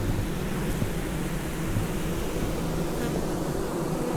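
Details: Honey bees at a hive during a heatwave, struggling with the heat and hanging clustered at the entrance, on the ground and on the hive sides; a steady low, dense hum with no breaks, broadband hiss above.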